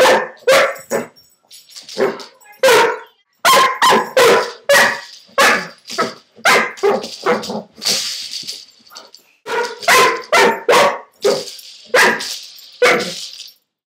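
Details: Playful Dobermann barking at the marble rolling inside a hula hoop; a long run of rapid, irregular barks with short gaps, some higher yippy notes and faint rattling between.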